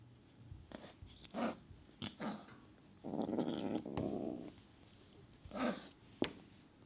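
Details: Kitten Sunshine biting and hissing at the other cats to show she is in charge: short harsh hisses scattered through, a rough growl lasting about a second and a half in the middle, then more hissing bursts.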